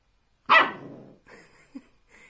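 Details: Puppy described as talking and arguing, indoors: one loud, harmonic, yelping bark that rises sharply and then trails off, followed by softer, brief grumbling vocal sounds and a short squeak.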